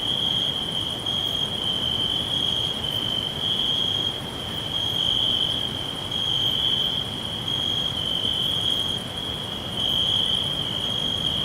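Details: Forest crickets keep up a continuous shrill chorus, one bright high-pitched drone that never breaks, while softer higher notes pulse in short bursts every second or so over a quiet background.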